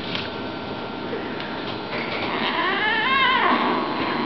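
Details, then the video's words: Brown rosetted female Bengal cat growling while playing indoors; after a quiet start, a drawn-out wavering tonal cry with stacked harmonics swells and bends for about a second, over steady room noise. "Rosetted Bengal girl playing and growling"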